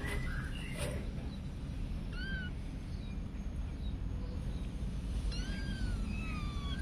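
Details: Cats and kittens in daily home activities, with faint thin mewing cries, a short one near the middle and a few overlapping high calls toward the end, set against steady low rumble and occasional clicks.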